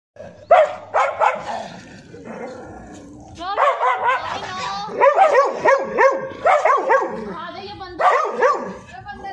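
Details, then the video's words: Labrador and Samoyed dogs fighting: a burst of sharp barks, then dense, overlapping snarling barks and yelps of rising and falling pitch, with human voices beneath. "#Labrador vs #samoyed dog fighte"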